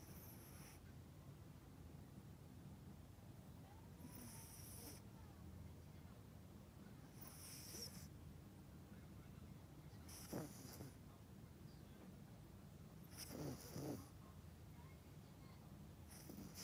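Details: Deeply sleeping Yorkshire Terrier Melody, a household pet, snoring in slow rhythmic breaths about every three seconds, airy hissing inhalations with faint low snorts, against a constant soft room hum.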